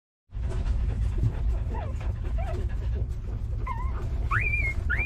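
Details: Puppies suckling milk from their mother give thin, rising squeaks and whimpers, clustered near the end, over a steady low rumbling background.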